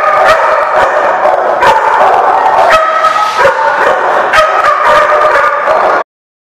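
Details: Many dogs in a noisy barking chorus on 10/7/17, overlapping yaps and deeper barks sounding continuously for about six seconds, then cutting off abruptly into silence.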